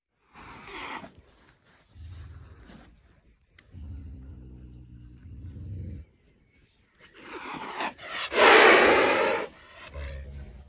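A caracal growls low and rumbling, then lets out a loud, breathy hiss.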